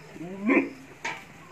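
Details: Beetal goat giving a single short bleat: a wavering, rising nasal cry lasting about half a second, followed by a brief sharp clatter and quiet background.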